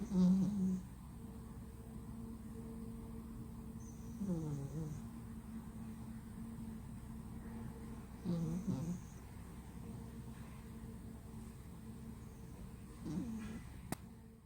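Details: A sleeping flat-nosed male cat snoring loudly indoors: low, rumbling snores about every four seconds, each short breath rasping, with quiet room noise between.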